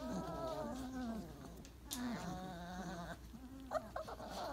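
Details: Twenty-eight-day-old Weimaraner pups lying in a heap after breakfast: low, sustained moaning whines sliding slightly up and down, with a few sharp higher squeaks near the end.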